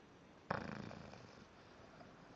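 An English Bulldog gives a single rough, rumbling snore that starts abruptly and fades within a second.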